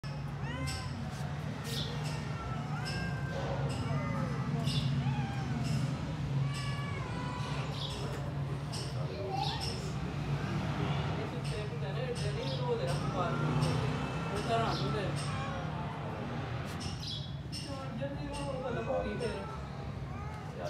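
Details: Stray grey kitten, apparently abandoned and found in a yard on 26 January 2024, meowing to be let into the house: a long run of rapid, rising-and-falling plaintive meows over a steady low hum, with scattered clicks and knocks.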